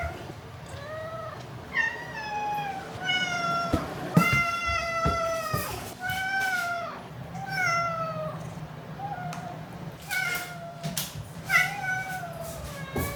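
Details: Domestic cat indoors, 16–22 October 2021, meowing repeatedly: about ten arched, plaintive meows roughly a second apart, some rising then falling, with clicks, handling noises and faint human voices in the background.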